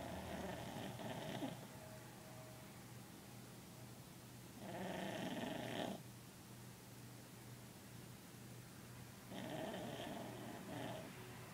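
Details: Pet dog asleep and snoring: three rasping, breathy snores spaced roughly four to five seconds apart, each lasting about a second, over a steady low background hum.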